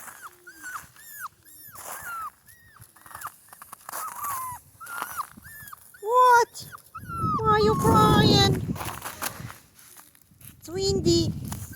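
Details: Two Central Asian Shepherd Dog puppies, Mansur and Merbet, crying in cold, windy weather: rapid series of high, arching whines, several per second, then louder wavering cries over a roar of wind, with a person talking to them.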